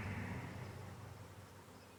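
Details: Honey bees living under a bee hive: a steady, low droning hum that slowly fades over two seconds, with a fainter, brighter band of buzz higher up.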